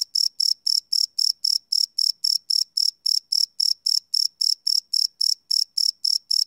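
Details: Crickets at night chirping, recorded without loops on a Sony PCM D100; a piercing, metallic pulse repeated nearly four times a second in a steady rhythm, otherwise quiet.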